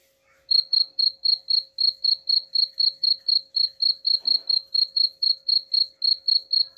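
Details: Cricket chirping, played as a sound meant to drive away rats: a steady high pulsed chirp, about four chirps per second, starting after half a second of quiet, with a faint steady hum beneath.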